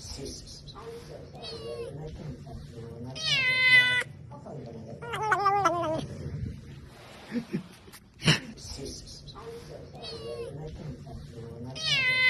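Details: Domestic cat eating its food and uttering an adorable chomping 'nom nom nom' sound: several wavering, rising-falling harmonic mews separated by sharp clicks and quieter gaps, in a small room.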